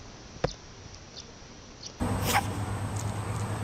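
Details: Rabbit. A rabbit gives a sharp tick and a few faint, evenly spaced hiccups. Then comes a louder, breathy snuffling, a rough nasal rustle with little pitch to it.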